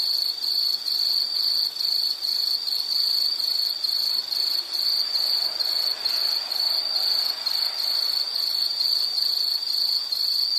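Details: An insect chirps steadily in a high, narrow band, short pulses running almost without pause for the whole stretch, with harmonics above and a soft wash of background noise underneath.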